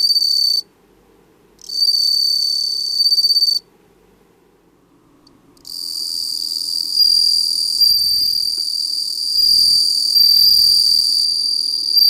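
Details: Bell cricket recorded for a stock footage library in Japan: bursts of a high, bright, ringing trill, broken by two silent pauses of one and two seconds, then sustained continuously to the end.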